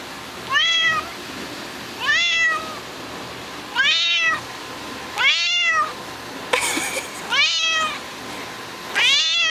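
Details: Little black kitten mewing indoors: seven clear, high, rising-then-falling mews, each under half a second, repeated about every one and a half seconds, with a brief rustle near the end.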